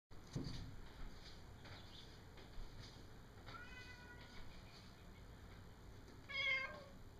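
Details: A cat outside the window, looking into a dining area and wanting to jump in through the window, gives a short, faint, wavering meow near the end. Softer harmonic tones come earlier over a steady background hum.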